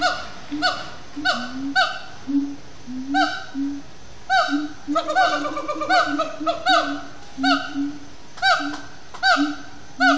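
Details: Extended singing by siamang gibbons at sundown in Disney's Animal Kingdom. Loud descending barks alternate with low hoots, then a burst of rapid, chattering notes mid-sequence before the steady rhythmic barking resumes.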